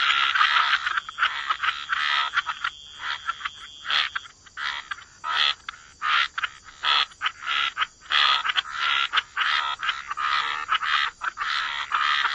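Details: Busy wetland frog chorus by the water, rough croaks tumbling out in rapid, irregular bursts, sometimes overlapping into long rasping stretches, with a thin steady high whine behind them.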